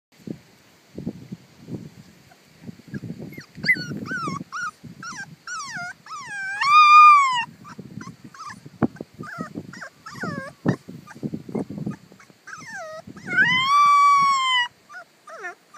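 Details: Pungsan dog giving high, arching whines and short yelping cries, with longer wavering whines near the middle and the end, over low rustling and thumping noises.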